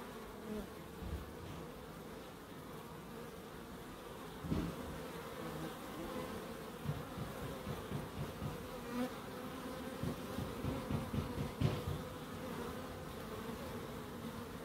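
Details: Garden bees in Crookes, recorded in a small wildlife garden, giving a constant low buzz with gentle rises as insects pass close, plus a couple of sharp clicks partway through.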